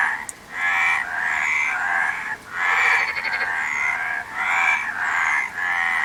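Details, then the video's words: A chorus of frogs gives grating, pulsed croaks in bursts roughly half a minute's count of thirty, separated by short dips, several callers overlapping throughout. "Frog Sound"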